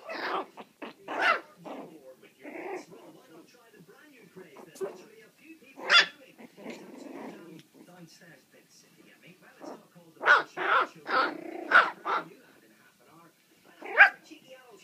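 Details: Several puppies four weeks and four days old playing loose, giving sharp high yips and short barks in irregular bursts, with low growly grumbles between, clustered near the start and again toward the end.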